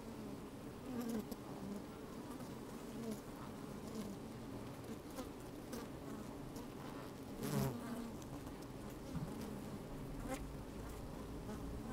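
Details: Honey bees at work in an open hive on a fine sunny day: a constant low hum with a louder buzzing burst around seven and a half seconds, occasional clicks and bumps from moving bees and a breath of wind.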